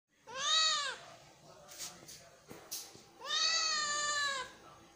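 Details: Kitten meowing, two long, clear meows that rise and then fall in a bent arc, rich in overtones, separated by soft rustles and faint clicks.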